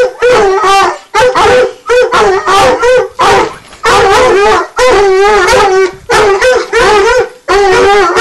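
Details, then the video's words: Redbone Coonhound pair, nine months old, treeing: steady series of quavering bawls, roughly one every second, each with a bending, tremulous pitch, loud and unbroken by other sounds. "Redbone Coonhound treeing"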